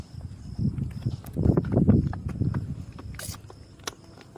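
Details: A calf suckling milk from its mother cow, with low, irregular gulping and thumping sounds coming in uneven bursts.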